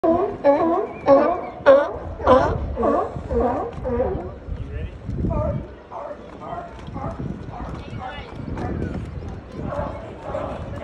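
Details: Sea lions under the Santa Cruz Boardwalk in California bark in a loud, hoarse chorus of repeated honks, with voices in the background. Finding: Sea lion.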